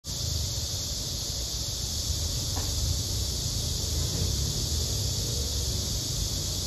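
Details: A cicada, named as a chammaemi, pestered by fire ants, gives a steady, unbroken high buzz that holds the same pitch throughout, over a low outdoor rumble.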